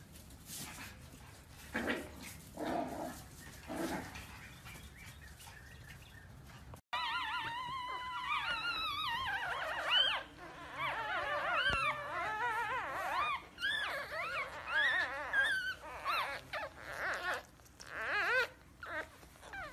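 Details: Several Pomsky puppies, a Husky and Pomeranian mix, whining and howling together: overlapping wavering, high-pitched cries that rise and fall, building into a busy chorus after a few quieter opening seconds.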